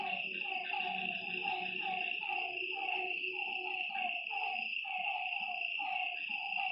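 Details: After dark beside a lake, several frogs repeat short croaking notes in quick, uneven runs, overlapping one another above a continuous high-pitched insect trill and a low murmur.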